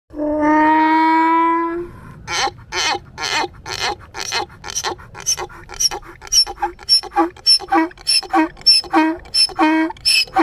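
A donkey brays: a long, drawn-out tonal note breaks into a rapid series of harsh, pumping gasps.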